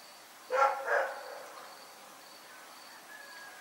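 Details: At night Rex the dog gives two quick harsh barks in close succession, then quiet with a faint steady high hum in the background.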